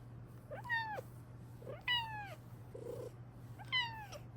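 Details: A female Bengal cat indoors meows three times at about 0.7, 1.9 and 3.8 seconds, each meow a clear harmonic cry falling in pitch; a steady low hum runs underneath and a soft muffled sound falls between calls.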